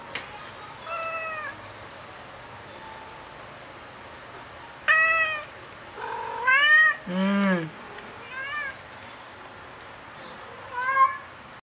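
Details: Black cat missing a companion cat that just died, recorded indoors 7 August 2018 on a FUJIFILM X-T10: a series of about six plaintive meows, some short and arching, one lower and more strained, spaced irregularly over twelve seconds, with soft background hum.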